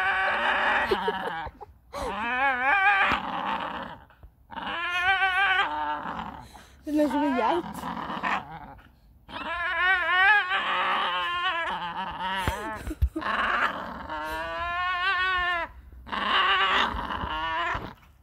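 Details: A Staffordshire bull terrier screams in long, wavering, high-pitched yowls while a person nearby speaks Norwegian.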